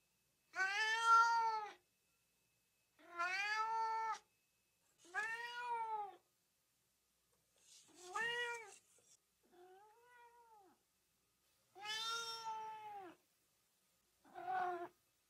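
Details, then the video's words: House cat calls meant to rile up dogs: a run of seven drawn-out meows, each about a second long, spaced roughly two seconds apart, some rising then falling, one fainter and lower, on a silent background. "RUMORI GATTI PER CANI"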